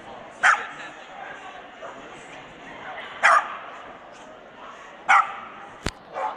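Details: Swedish Vallhund barking in the best male ring at the Strängnäs international dog show, 15 March 2015: three short, sharp barks spaced two to three seconds apart over a low murmur of voices, with a brief click near the end.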